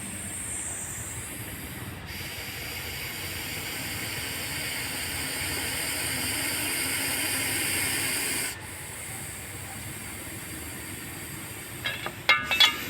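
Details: Rescued Russell's viper in India hissing: a long, sustained rasping hiss that swells gradually over about six seconds and then cuts off, with a few sharp clicks and knocks near the end.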